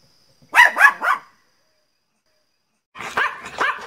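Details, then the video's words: Loud barking from Teco, a Pinscher: three quick high barks in a tight burst, a silence of nearly two seconds, then a rougher, quieter pair of barks. "pinscher latindo bravo - pinscher latindo alto - cachorro pinscher latindo"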